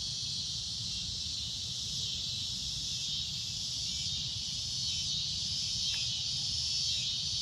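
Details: Cicada at golden sunset: a loud, shrill, unbroken droning buzz holds steady at high pitch for the whole stretch, with a soft low rumble underneath and a faint brief tick near the end.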